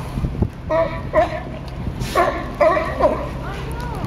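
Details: Fighting sea lions at Pier 39 on San Francisco's Fisherman's Wharf give loud, rough barks in short bursts, about four clear calls spaced roughly half a second apart, over low harbour rumble.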